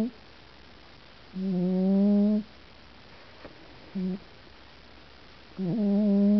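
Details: Sleeping cat named Pooper, 16 June 2009, snoring indoors: a long humming drone, a short grunt-like snore, then another sustained nasal drone, with near-silence between breaths.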